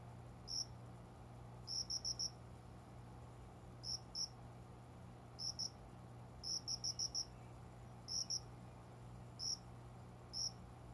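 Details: Cricket hidden in plants at a window, calling around 5 a.m. in summer; shrill high chirps, some single, some in rapid runs of three to five, spaced irregularly, with a soft low background drone.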